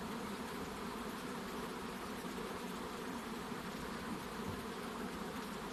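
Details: Honey bees swarming about hive boxes while the queen emerges, giving a constant dense hum, low and rough, unchanging in loudness.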